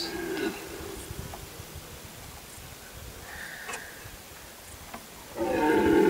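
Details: A red deer stag gives deep, rough, harmonic roars during the rut, recorded in a forest at Galgamácsa in 2011, in the afternoon-evening of one of the best roaring days.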